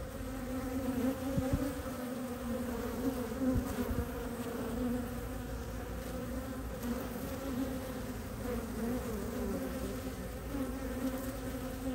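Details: Pollen-laden honey bee foragers arrive at a hive entrance in Ohio on a mild early-spring day in March 2023, bringing in maple pollen for growing brood; a continuous low buzzing drone with a few brief louder surges throughout.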